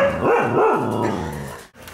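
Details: Pet dogs playing together in a living room at night; a loud, tonal growling bark with two quick rising-and-falling swoops, then a long drawn-out groan that fades into a short silence.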